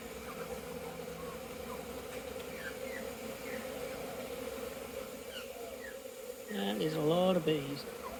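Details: Swarms of honey bees take orientation flights beside a packed hive fitted with flow frames, 22 September 2022. The steady humming drone swells near the end into a loud, rich buzz as one bee flies right past.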